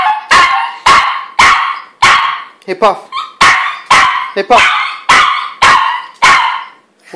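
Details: Loud repeated yelping barks from a dog, about two per second in a steady run, broken by a couple of short wavering whimpers; a person's voice is mixed in.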